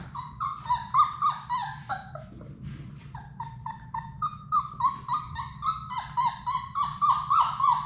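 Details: Labrador Retriever puppies from Sadie's litter of six, at play in an indoor puppy play room, give a steady run of high, whiny yelps, each bending downward, several per second with brief pauses, over a low room hum.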